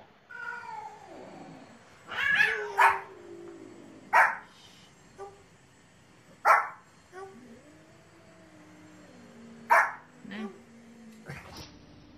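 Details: Dogs playing at home: drawn-out whining tones that slide downward mix with sharp, loud barks repeated every second or two, a human voice remarking on the barking.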